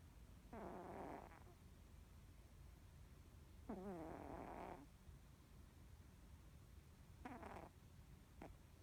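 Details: Norwegian Forest Cat snoring in deep sleep, face muscles twitching as if dreaming; three breathy rasping snores around 0.5–1.5, 3.7–4.8 and 7.3–7.7 seconds with a short fourth at the end, growing louder, over a faint steady background hum.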